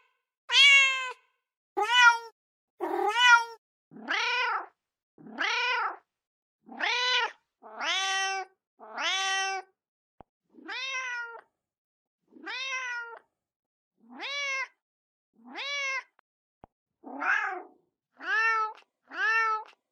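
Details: Mother cat calling for her kittens: about sixteen short, harmonic meows in a row, each rising then falling, spaced roughly a second apart, some higher and sharper than others, with silence between.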